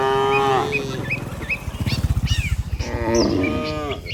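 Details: Herd of tame cattle returning to the barn after grazing all day on pasture; two loud drawn-out moos separated by a low rumbling pulse, with high bird chirps above.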